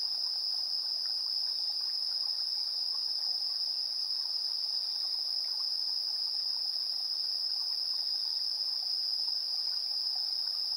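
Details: Insects chirping on an early September evening, 7:04 PM on 3 September 2022, recorded in stereo with a portable recorder: a constant high-pitched ringing trill without pause, with faint lower chirps underneath.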